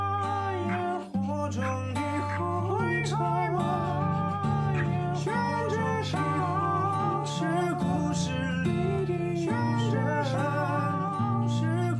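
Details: Strummed acoustic guitar and singing play throughout, with no animal sound.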